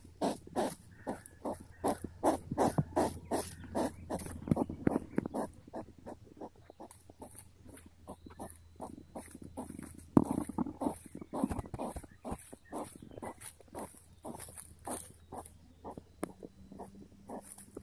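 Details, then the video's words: A curious hedgehog approaching, sniffing and grunting: rapid, irregular, rasping snuffles and short huffs, close to three per second, with louder bursts early on and a faint low hum underneath. "Approaching hedgehog getting curious, sniffing, grunting and leaving"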